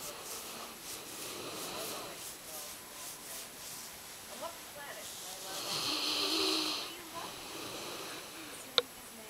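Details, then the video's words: Loud snoring from Brady, a yellow Labrador Retriever, asleep; soft wheezy breaths build to one long hissing, rasping snore, followed by quieter breathing and a single sharp click near the end. "Loud Dog Snoring (Yellow Lab-Brady)"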